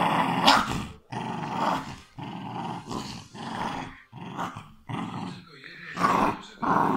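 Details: Growls from a West Highland White Terrier, harsh and throaty, rising and falling in about eight uneven bursts with short gaps, some louder snarly peaks near the start and end, in a small room.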